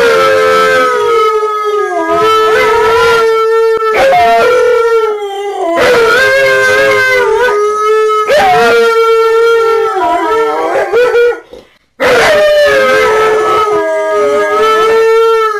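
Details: Alaskan Malamutes home alone, one howling: long steady mid-pitched howls broken into wavering, yodel-like phrases with pitch wobbles and quick rises and falls, several sustained stretches over about fifteen seconds with a brief silent pause near the end.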